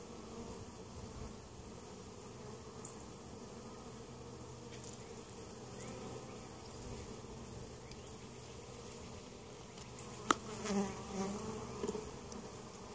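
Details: Steady low hum of honey bees around an Ohio hive at Mt. Perry, treated for varroa mites; an even drone throughout, broken near the end by a sharp knock and a few louder close buzzes.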